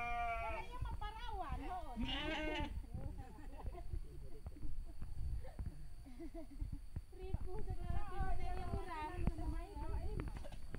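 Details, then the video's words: Sheep during mating in the village of Sirna Rasa: wavering, harmonic bleats in the first two and a half seconds, more bleating around eight to nine seconds, with people talking and a low rumble throughout. "cara perkawinan domba"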